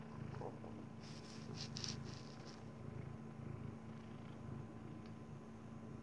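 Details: Maine Coon cat indoors eating kibbles, giving a steady low rumbling purr throughout, with a few soft crunching sounds near the start and a constant background hum.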